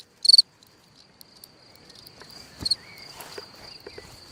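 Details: Night cricket at a hole in the ground: two loud, high pulsed chirps over a thin continuous high trill, with soft rustling and crackling noises in the background.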